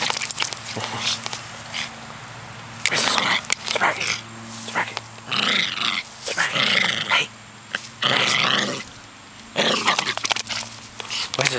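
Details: Male Silky Terrier going nuts when he thinks squirrels are around, hunting for them outdoors: harsh, excited barks and growly yips come in bursts a few seconds long, broken by short pauses, while a person urges him on to get the squirrel.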